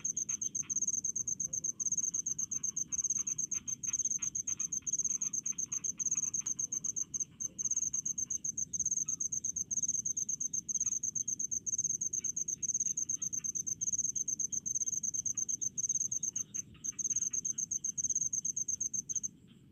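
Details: Crickets calling in rice fields: a dense, high-pitched pulsed chirping that runs almost without pause, with fainter lower chirps flickering beneath and a soft steady rumble in the background.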